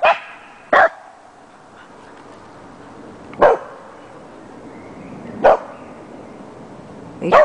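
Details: Dandie Dinmont Terriers named Oodi, Mira and Ella barking indoors; single sharp barks spaced a second or two apart over a quiet background, with a woman asking in Finnish what is there.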